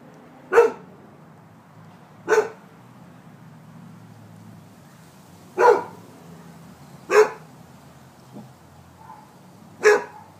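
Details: Rhodesian Ridgeback barking on command: five sharp, deep single barks spaced about one and a half to three seconds apart, each short and punchy, over a quiet indoor background.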